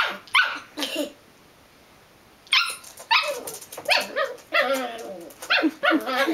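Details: Belgian Malinois puppy with a few quick barks, a two-second pause, then a steady string of harsh barks roughly every half second.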